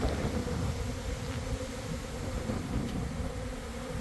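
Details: Swarming honey bees in the air around a hive in the early afternoon, coming in to land; thick low droning hum mixed with heavy rumbling buffeting, continuous over a few seconds.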